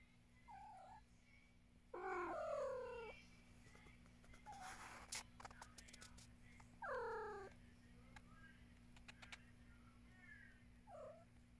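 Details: Domestic cat producing several meows: a short soft one, then two longer, falling, drawn-out cries about five seconds apart, and a final brief meow, with scattered clicks and handling noises between them.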